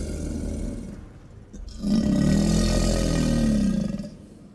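An American alligator gives a deep, rumbling bellow lasting about two seconds.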